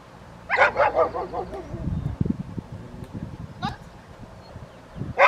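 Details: Barking at a Rottweiler obedience session with distractions, Victoria Rottweiler Club, 2 May 2021: a burst of three or four rapid harsh barks, a low rumbling stretch, then single sharp barks near the end.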